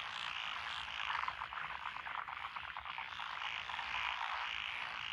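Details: Dense frog chorus in lotus rice fields, Echizen, Fukui, Japan, June 2021; overlapping croaks blur into a steady buzzing wash, with a brief cluster of quicker rattling calls early on.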